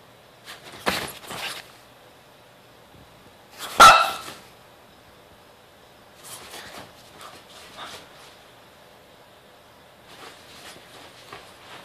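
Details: Grumpy French Bulldog, unhappy about the camera in the morning, gives short rough broadband grumbles and bark-like bursts near the start and middle, then softer grumbling sputters toward the end, indoors with quiet pauses between.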